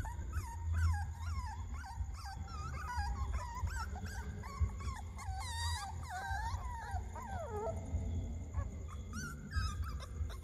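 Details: Several puppies screaming in shrill, overlapping whines and yelps that rise and fall and tumble over one another without pause, over a steady low hum and a faint high electrical tone.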